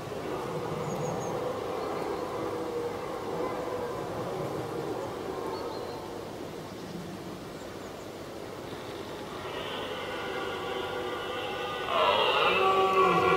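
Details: Two red deer stags roar at each other during the 2023 rut, deep drawn-out bellows of rivals challenging from a distance for minutes before finally fighting.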